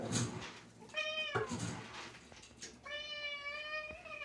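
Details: Cat meowing while getting dinner indoors: two clear harmonic meows, the first about half a second and falling at the end, the second longer, nearly a second and level, with light rustling and thuds in a small room.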